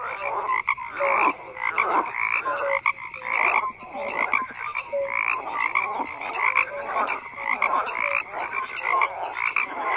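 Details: Frog chorus of overlapping croaks, a steady rattling din punctuated by short tonal notes repeating every second or so, sustained throughout.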